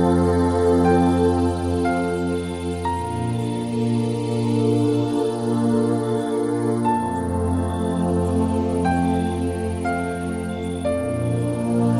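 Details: Soft new-age ambient music with sustained synth pads and gentle tones fills the recording, with no animal calls audible.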